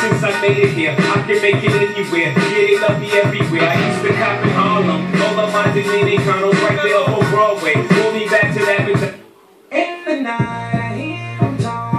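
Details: Loud hip hop music with rapping and a beat fills the recording, with a brief drop near the end and no animal voice.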